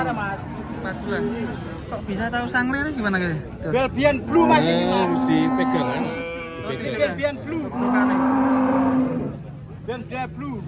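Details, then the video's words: Truckloads of cattle arriving at a busy Indonesian site; short lowing calls early, then a long steady moo near the end, amid chatter of men and a vehicle's rumble. "KUMPULAN SAPI LUCU DARI TRUK PERTAMA KESINI RAME SEKALI"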